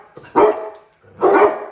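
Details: Basset hounds greeting their owner as she gets home from work and being given cookies indoors; two loud, full barks about a second apart, each with a short rising onset and a fading tail.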